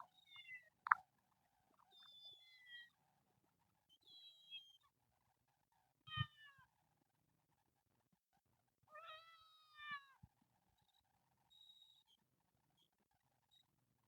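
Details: Screaming kitten among a group of temple cats that live in nature gives a series of high, strained meows. Some are clipped, some drawn out and wavering, separated by brief pauses, with soft clicks and rustling between.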